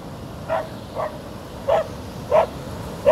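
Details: On a beach, Milli the Border Collie barks at the waves. Five clipped, mid-pitched barks come at irregular intervals of roughly half a second to a second, with constant wave noise behind them.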